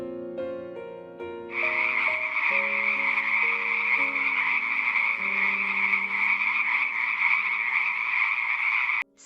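A dense, high chorus of frogs with steady pulsing, rasping trills, layered over a soft piano melody that opens the recording.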